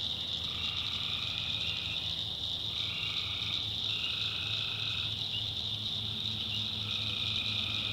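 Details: Tree frogs calling at night in a North Carolina backwoods swamp, recorded by the maker; a dense chorus with steady high shrill trilling, plus repeated drawn-out mid-pitched trills lasting about a second each, and a low hum underneath.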